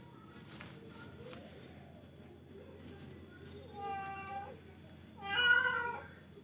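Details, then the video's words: Charcoal cat, indoors, giving two harmonic meows near the end, the second louder and slightly rising, over a steady low hum and background rustling. "charcoal kucing"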